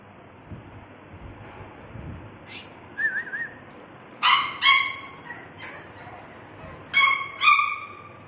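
French bulldog puppies give high, sharp yips in pairs, with a brief wavering whine before them.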